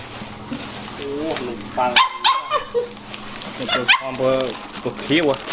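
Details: Dogs at home being fed biscuits and sweet bread make eager, high whines and short yelps in quick bursts, while people talk nearby.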